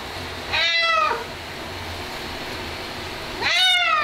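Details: Ragdoll cat disliking its bath, during washing; two strong wailing meows about three seconds apart, each rising then bending down, with low mechanical hum between them.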